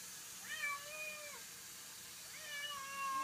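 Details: Domestic cat playing in water giving two drawn-out meows, each rising then falling in a long tonal arc, the second starting about two seconds after the first, over steady hiss.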